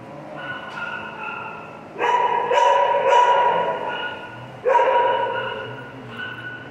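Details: Pet dog Piper talking: a soft opening moan, then two loud sustained howl-like vocal bursts of about two seconds each, separated by a brief pause, trailing off into quieter whimpers.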